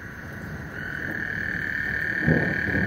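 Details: Frogs singing before a thunderstorm on Lake Houston: a steady, high, buzzing trill drones through the short stretch, growing slightly louder, over a low rumbling background.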